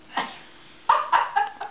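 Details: Dog barking indoors, a faint sound near the start followed by four short, sharp, mid-pitched barks in quick succession over the last second, each under a quarter second long, with tonal yelping overtones.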